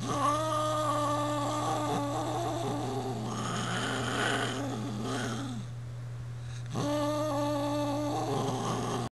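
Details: Brat, a 20-year-old cat annoyed after another cat named Sierra tried to slip past, utters sustained low wavering growl-yowls, a long tone, a gap with rougher grumbling, then another drawn-out moan, over a constant low hum indoors.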